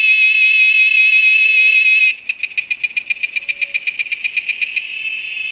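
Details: A cicada at a nature lodge in the Amazon holds a loud, steady metallic drone, then breaks into rapid pulsing buzzes.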